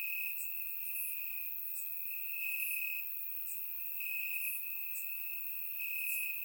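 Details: Night chorus of crickets in Bulgarian grassland on a warm summer evening; one continuous high-pitched trill holds steady while sharper, higher chirps break in roughly once a second, recorded in surround sound.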